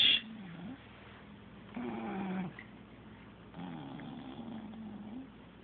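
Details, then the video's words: Pet cat caught snoring indoors: slow, wavering, low droning breaths, with a louder one near the middle and another toward the end, over a soft steady background hiss. "the Cat caught snoring"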